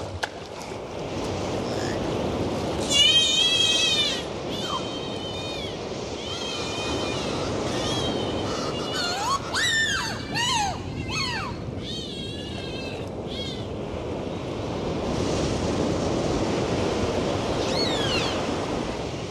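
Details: Dolphins heard underwater in the ocean make bursts of wavy, rising and falling whistles, some steep downward sweeps, with scattered clicks, separated by stretches of steady sea hiss.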